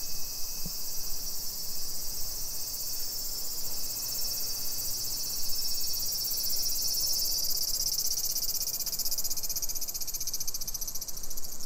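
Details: Cicadas sing through a July 2021 summer afternoon in a Nisshin city neighborhood, Aichi, Japan, making a dense high-pitched whirring wall that swells slightly midway and takes on a pulsing, rattling texture toward the end, over low street noise.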